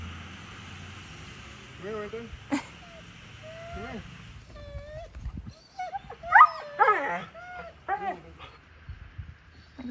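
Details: Large dog whimpering and yipping during an outdoor bath on a hot summer day, with high rising and falling whines scattered across the clip and a man speaking to the dogs nearby.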